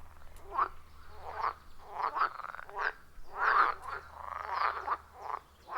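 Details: Frogs at a quiet wild forest pond, recorded using iPhone 14 Pro plus Shure MV88+: softer, spaced raspy croaks roughly two per second, separated by short gaps, with a faint low hum beneath.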